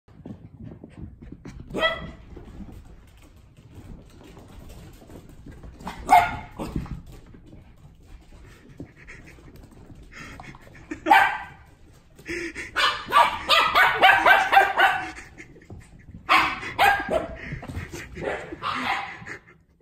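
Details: Samoyed puppy playing with its first friend, a Maltese, giving short high yips and barks in scattered bursts, then a fast busy run of barks and yelps while playing, with soft scuffling between.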